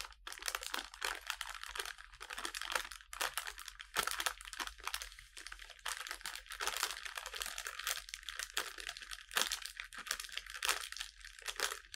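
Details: Continuous crinkling, tapping and tearing-like rustles of craft material fill a small indoor room, with no animal voice present.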